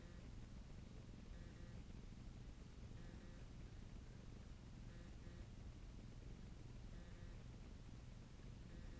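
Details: Bob the cat purring while kneading, or 'making muffins': a steady low rumbling purr throughout, with faint higher tones recurring roughly every two seconds.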